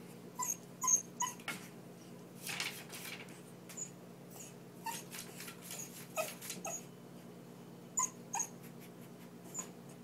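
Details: Indoor Lhasa Apso begging to be let out: short, high whimpers with bright overtones, coming in scattered bursts with pairs of quick squeaks and pauses between, over a low steady room hum.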